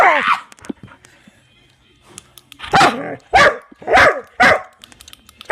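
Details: Dog going wild over click noises, letting out a run of four loud, harsh barks about half a second apart after an opening yelp and scattered clicks.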